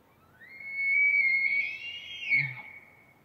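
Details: An elk in the Rockies bugles: a long, rising, pure whistle that holds high, then breaks off into low grunts.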